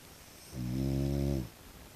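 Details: Pet French Bulldog, a tiger brindle, snorting during everyday home life, a dog that rarely barks: a single deep, buzzy nasal grunt lasting about a second, low and rich in overtones, in a quiet room.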